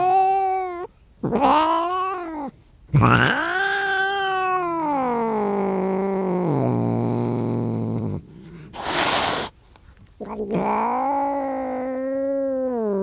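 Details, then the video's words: Angry cat caterwauling with drawn-out harmonic yowls that swell and sag in pitch, one long wail sliding lower over several seconds, broken by a brief hissing burst before another rising yowl. "Cat Meow Sound effect"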